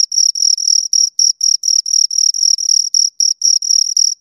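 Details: Crickets, two of them, rubbing wings or legs to make shrill chirps; pulses of uneven length, some long trills and some short clicks, follow closely one after another with brief gaps.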